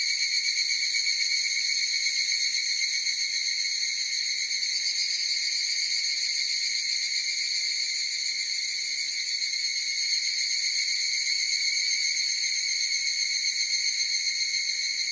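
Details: Massed higurashi cicada song forms a continuous piercing whine of stacked high tones. It holds steady for fifteen seconds with only slight swells in loudness and no gaps. Nothing else intrudes.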